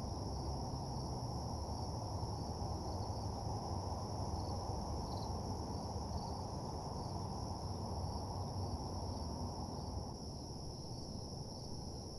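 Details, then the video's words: Crickets at night: a steady, unbroken high trill held throughout, laid over a heavy low rumbling hum like distant traffic or machinery. "Nighttime Parking Lot Ambience (Cricket Sounds)"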